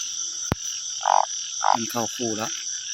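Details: Banded bullfrogs calling after the first rain of 2023 in rural Thailand, paired up. Short nasal croaks come in quick bursts, mixed with deeper buzzy croaks, over a steady high insect drone. A sharp click sounds early on.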